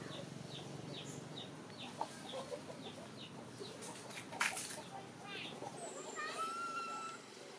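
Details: A chubby baby macaque near Siem Reap's temples, chased by a chicken, cries for its mother: short high chirps, a sudden squawk, then a drawn-out wavering cry, with chicken clucks and rustling.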